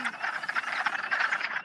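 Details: A dense wood frog chorus of hundreds of frogs just starting to lay eggs, on April 30, with overlapping, rapid duck-like clucks and chuckles.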